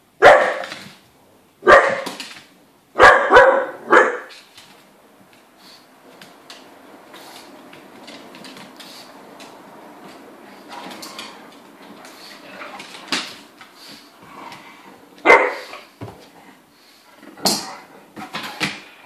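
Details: Irish wolfhound, pug and Landseer puppy romping indoors, the wolfhound in heat drawing the pug's keen interest; sharp barks come in clustered bursts at the start, quieter scuffling through the middle, then scattered single barks toward the end.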